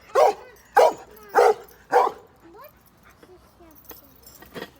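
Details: Pet dog on a grandfather's farm giving four loud, sharp barks about half a second apart, then a quieter stretch of soft yips and small noises.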